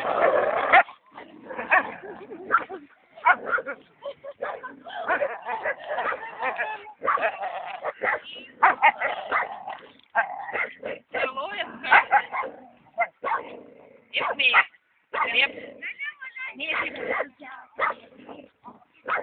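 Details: Belgian Malinois giving a long run of rapid, rough barks and yelping whines in quick irregular bursts, with short gaps between volleys throughout.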